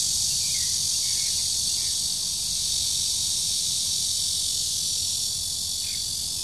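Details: Continuous high, hissing drone of a red-veined cicada at the Shezi artificial wetland, 2 July 2016, steady and unwavering, with a few faint chirps from other creatures early on and low background rumble.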